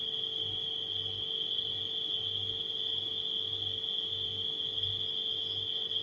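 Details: Continuous shrill trilling of crickets at night, even in pitch and volume, over a deep steady refrigerator drone with a faint pulsing low throb.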